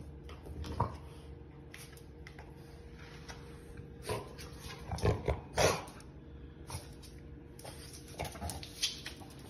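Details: A French Bulldog, jumping while barking, gives short, rough barks and snuffles over a low indoor hum.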